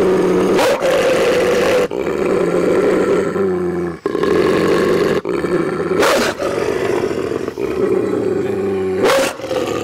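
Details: Gray wolf (Canis lupus): two brother wolves growl and snarl at each other in a continuous, throaty rumble with harsher bursts, aggression in a dispute settled by voice; in 14 years they never injured each other.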